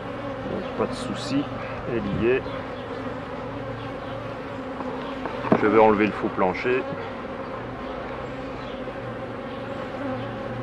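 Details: Honey bees drone loudly around a beekeeper working the hives, a thick unbroken hum with steady low tones, with short bursts of speech and clatter in the middle.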